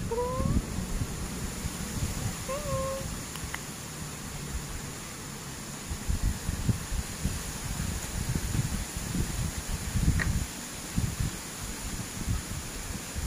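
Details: Grey pet cat with two short meows in the first three seconds, the rest filled with low rumbling handling noise and faint clicks.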